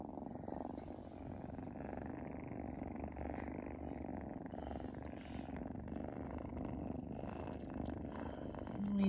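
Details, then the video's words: Sphynx kittens purring while nursing on their mother, a steady low rumbling purr that runs without a break through the whole stretch, indoors, with a voice speaking softly at times. "Sphynx Kittens in purr!"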